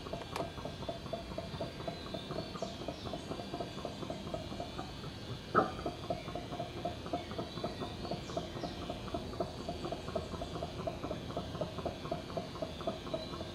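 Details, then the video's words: Bugios, the howler monkeys of genus Alouatta, heard from a backyard as a long, even stream of low, throaty pulses, roughly four a second. A faint bird call and a sharp click break in near the middle. "Bugios - Howler Monkeys - Alouatta"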